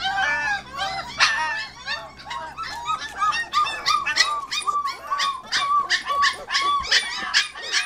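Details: A crate of 25-day-old Border Collie puppies singing during a short crate time; many overlapping squeaky yelps, whines and brief bark-like yips from several pups, dense and steady throughout.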